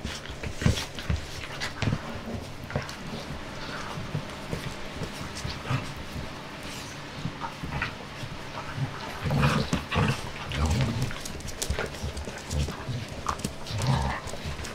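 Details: Jessie, a five-month-old puppy, at play: scattered low grunting huffs and panting bursts, thickest from nine seconds on, mixed with sharp clicks and scuffling knocks of movement.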